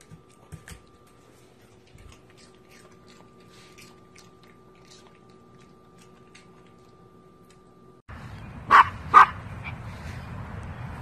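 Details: Pomchi, a Pomeranian and Chihuahua mix dog, giving two short sharp barks in quick succession near the end, after a long stretch of quiet room hum with faint clicks.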